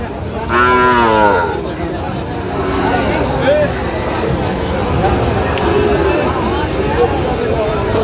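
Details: Sahiwal cattle at a livestock market where a farmer from Chattogram, Bangladesh, buys a bull calf, 4 September 2025; one drawn-out, slightly falling harmonic moo lasting about a second, followed by a steady market hubbub.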